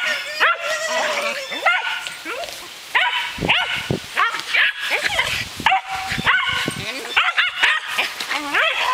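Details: Berger des Pyrenees dogs, a brindle six-month-old female and her fawn father, during frisbee play; rapid high-pitched yips and whining barks come in irregular bursts throughout, mixed with people's voices.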